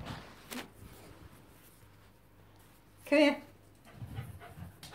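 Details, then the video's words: Lhotse, a female Tibetan Terrier, resists her worming tablet indoors. Light panting comes first, then a single loud, tonal whine near the middle. Softer huffs and breathing close the clip. "Tibetan Terrier says no, no and thrice times no to taking her worming tablet."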